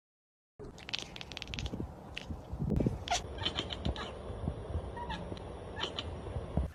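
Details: A domestic cat chatters in rapid clicking bursts, snapping its teeth, the excited sound made when looking out a window and spotting prey such as birds or flying insects.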